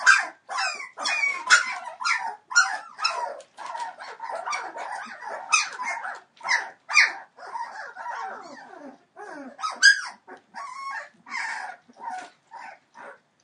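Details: A 21-day-old Entlebucher Mountain Dog litter, born 28 December 2013 to Shadow and Falk vom Kornried, fills the air with rapid, overlapping squeals and whines, bursts following each other with barely any pause.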